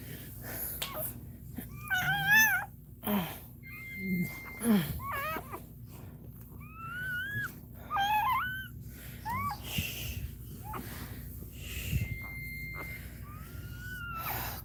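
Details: Cane Corso dog crying indoors during Cashmere's labour: a string of high, wavering whines that rise and fall, several in quick bursts, over a steady low electrical hum with occasional clicks.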